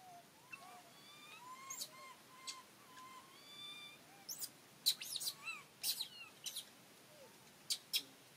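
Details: Monkey calls where Rany blocks food from little monkey Aryan: thin, whistled coos with upturned ends, several in a row, mixed with sharp broadband clicks and smacking bursts around the fifth to eighth seconds.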